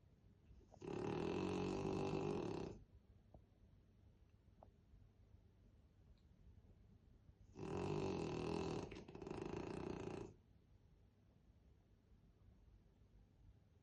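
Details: A French Bulldog named Krosh, asleep on a staircase, snoring heavily: two long, rasping, droning snores of about two seconds each, the second breaking into a double pulse, with quiet breathing between them.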